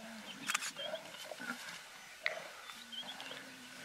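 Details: Lions of a pride devouring a zebra in the Greater Kruger National Park, dry season of 2018, give short rasping growls and snarls in bursts, while birds whistle and chirp in the background.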